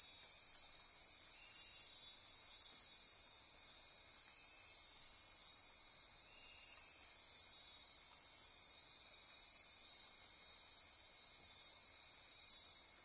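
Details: Insect chorus after dark in Costa Rica's Osa Peninsula rainforest by Corcovado National Park: continuous piercing buzz with rhythmic pulsed trills riding on top, steady in loudness, and a faint lower ratcheting tone drifting in midway.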